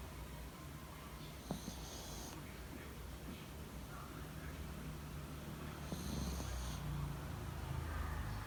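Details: Yorkshire Terrier asleep in its owner's bed on the morning of 28 February 2019, breathing softly with faint hissy snores. A breath swell comes about every four seconds over a low, steady indoor hum.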